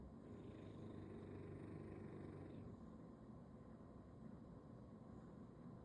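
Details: A bulldog sleeping belly-up on a Sunday, snoring in a low, continuous rumble. The sound is a bit louder for the first few seconds, then eases to a softer, steady breathing drone.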